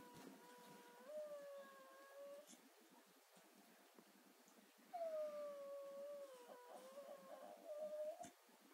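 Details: Indoors, a female Staffie named Willow whimpers and 'sings' in pain after last week's knee surgery, keeping it up until 4 am. Drawn-out, slightly quavering tonal howls bend up and down, with a quiet pause before a louder, longer wail.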